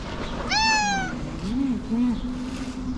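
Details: Fluffy-tailed calico cat asking for food with one clear, bright meow that rises then slides down, followed by two short low trills.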